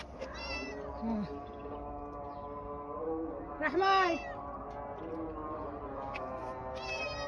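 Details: Somali cat in Hargeisa giving three arched, harmonic meows: a short one near the start, a louder rising-then-falling one midway, and a brief one at the end, over a steady tonal background hum.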